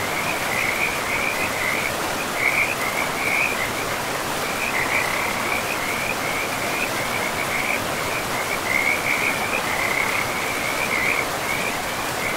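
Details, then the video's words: Frog chorus by a river in untouched forest: high trilling notes pulse continuously, a few bursts louder than others, all set against a dense, even roar of running water. "River and Frogs sleep sounds"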